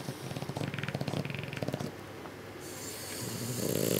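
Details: Sleeping French Bulldogs named Louie and Sophie, watched over spring break; a burst of rapid rattling snorts, then a quieter pause and a rising wheezy inhale.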